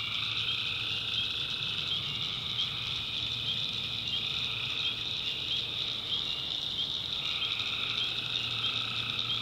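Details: North Carolina swamp after dark, tree frogs producing prolonged droning calls that fade out and resume after a few seconds, set within a thick, constant, high-pitched nocturnal chorus.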